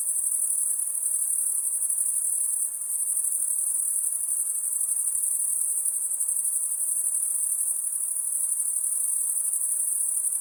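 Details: Insect calling at night: an unbroken, very high-pitched shrill buzz that holds steady for the whole stretch, with one brief dip, over faint low background hiss.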